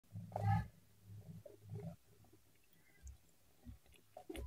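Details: Cat eating, recorded close up: soft wet chewing and smacking in irregular bursts, with a louder low crunching burst at the start and quiet pauses between bites.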